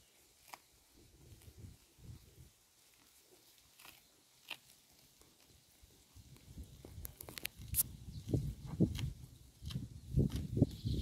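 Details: A cow grazing on roadside grass, its mouth giving soft crunching, biting and chewing noises. Sparse at first, they grow into dense, rhythmic low munching in the second half, with a few sharp clicks.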